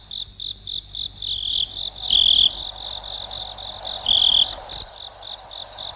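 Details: High cricket chirps begin as distinct regular pulses, then merge into a continuous buzzing trill with brief louder bursts.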